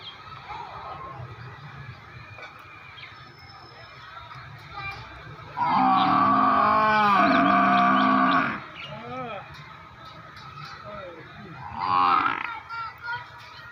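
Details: A buffalo lets out a single drawn-out bellow lasting about three seconds, rich and droning with a slight wavering pitch. Shorter, softer groans follow, with a low continuous hum underneath.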